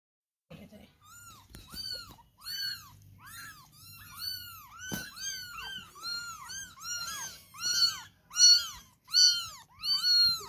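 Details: Indoor cat giving a steady series of high, arched meows, each rising then falling, about one per second and growing louder toward the end, with a faint voice and soft rustling beneath.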